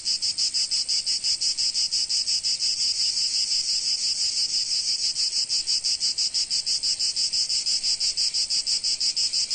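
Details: Sunny Provence cicada chorus: a loud sizzling buzz throbbing in fast, very even pulses about three each second, continuous and with no background sounds.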